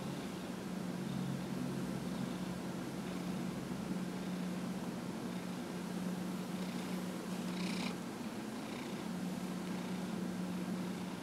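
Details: Dillard, a 15-and-a-half-year-old pet cat, purring while being massaged on January 31, 2018; a steady low hum with constant background hiss and faint higher rustles around the seventh and eighth seconds.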